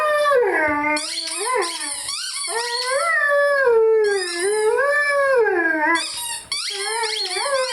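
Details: Rhodesian Ridgeback Lyle singing with his favourite squeaky toy, giving wavering howls that swoop up and down in continuous rolling phrases while the toy's sharp high squeaks overlap throughout.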